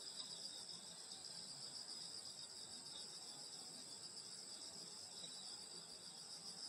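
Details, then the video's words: Rural summer night with insects chirring steadily near a grandmother's house, a continuous bright high-pitched buzz in stacked bands over quiet background. "여름소리 풀벌레소리 시골밤소리"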